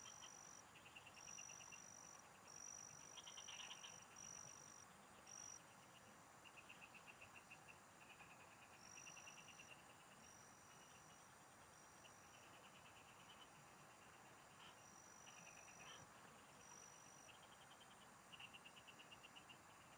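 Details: Frogs singing in the countryside fields, recorded while fishing: rattling high pulse bursts of varying length, some louder and closer, mixed with intermittent long high tones and steady background noise.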